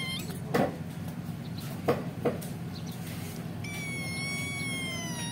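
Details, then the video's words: Still-nursing kitten separated from its mother: a few dull knocks, then one drawn-out, high-pitched steady meow that slightly falls at its close, with a constant low hum beneath. "kucing meong oyen"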